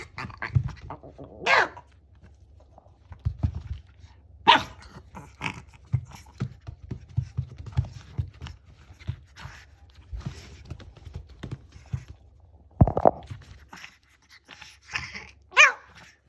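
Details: Shih Tzu dog giving an unusual growl, short gruff vocal bursts and a few sharp bark-like calls scattered over about sixteen seconds, with quiet gaps and low room hum between them.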